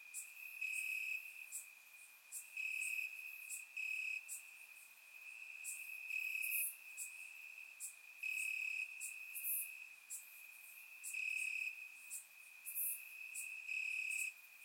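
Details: Night chorus of crickets in Bulgarian grass on a warm summer evening: continuous shrill trilling that swells into louder bursts roughly every one to two seconds, with scattered sharp high clicks above.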